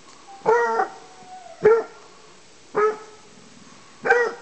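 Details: Petit bleu de Gascogne hound hunting wild boar inside an enclosure; four short ringing bays come about one second apart, each clipped and tonal with strong harmonics, with quiet between them.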